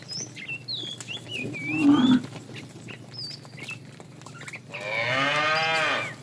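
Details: Morning herd of tame cows driven toward green pasture; a brief low grunt early, then a long harmonic moo near the end, over steady high chirping of small birds.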